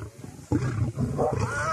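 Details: Lioness in the Masai Mara and Serengeti, playing hard to get with a mate; a deep, rough roar bursts in suddenly and holds as a low rumbling growl for over a second, with faint outdoor background.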